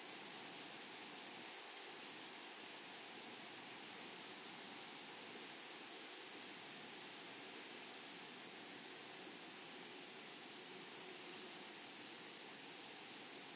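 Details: Meadow grasshoppers sing in flowery prairie grassland: a continuous high-pitched droning buzz without pause, with a few faint brief chirps above it and a low breathy rustle beneath.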